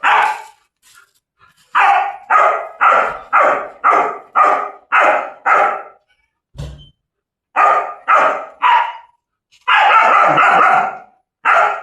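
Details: German Shepherd chained for the first time, barking steadily: a string of about seven sharp barks at roughly two-thirds-second intervals, a brief thud, then three more barks and a long rough bark burst.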